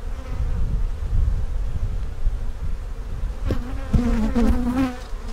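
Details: Low droning hum of honey bees during an inspection of two hives where possible queen cells were found, the colony perhaps preparing to swarm; a short spoken phrase and clinking noises rise over the buzz near the end.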